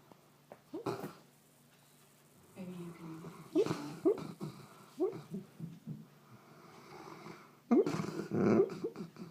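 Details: Goldendoodle asleep indoors, snoring and letting out muffled barks in its sleep; soft breathy snores rise and fall with several short, sharp yelps scattered through, strongest near the end, in a quiet small room.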